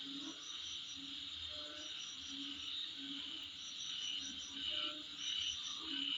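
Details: Insects heard outside a house front: a constant high-pitched shrill hum carrying quick repeated chirps, roughly one and a half per second, with soft low croak-like notes underneath.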